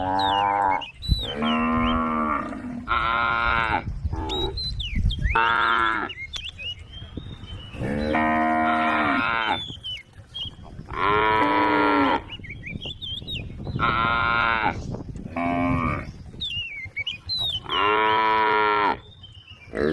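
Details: Tame cattle on a road calling to their companions: about seven loud, harmonic moos, each lasting one to two seconds and spaced with short pauses, while small birds chirp and whistle in the background.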